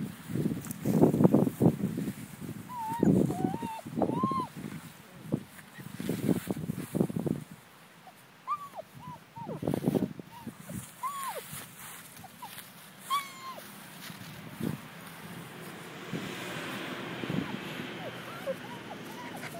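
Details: Five-week-old German Shepherd puppies whimpering: high, thin arching whines repeated in quick irregular bursts, mixed with low thumping and rustling and a person speaking softly.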